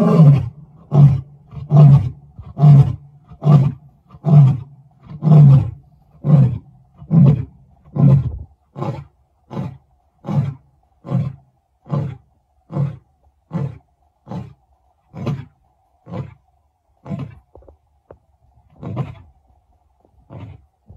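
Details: A male lion roars in Kruger on 18 July 2024, a series of deep, booming grunts fading and slowing toward the end; finding: Lion.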